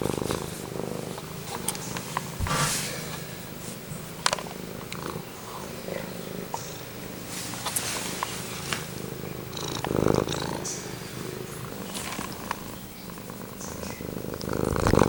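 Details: Pet cat purring right beside the microphone indoors, a continuous low rhythmic rumble with soft pulses, broken by occasional rustling and handling clicks.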